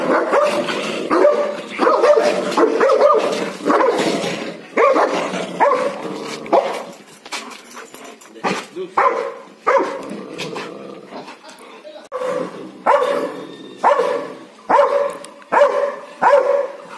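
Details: A dog, possibly a Labrador or German Shepherd, barks in loud, irregular bursts of roughly one or two barks each second.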